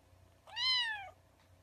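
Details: Kitten gives a single clear meow, rising then falling in a smooth arch, strongly harmonic, about two-thirds of a second long, over a low steady hum indoors.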